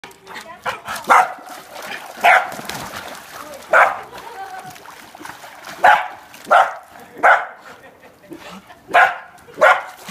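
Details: Year-and-a-half-old female corgi getting possessive of and defending her pool: sharp single barks repeated roughly every second, about nine in ten seconds, with faint background murmur.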